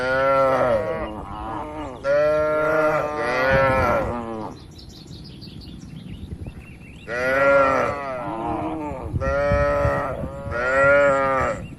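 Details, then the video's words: Tame cows kept in a roomy farm barn. Loud, harmonic moos come in two bursts of about three calls each, separated by a quiet stretch of several seconds in which faint high chirps are heard. "moo bunyi sapi"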